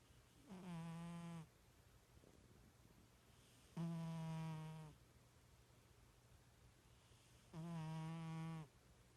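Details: Pet cat asleep indoors, snoring like a little pig: three buzzy, nasal drones of about a second each, spaced roughly every three and a half seconds, with quiet breathing gaps between and a faint steady hum in the room.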